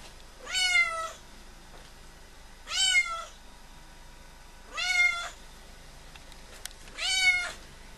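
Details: Four loud, drawn-out meows from a visiting female cat, which has been coming to the house since August 2011, each rising then falling in pitch and repeated about every two seconds, with quiet pauses between them.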